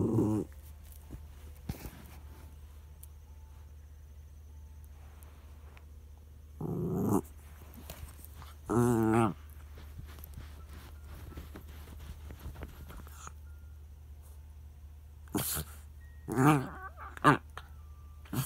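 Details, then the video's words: Dog throwing a tantrum indoors because another dog, his son, is lying over the treat: short whiny, moaning vocal bursts near 7, 9 and 16–17 seconds over a steady low hum, with some clicks and rustling between. "Charlie the dog throwing a tantrum"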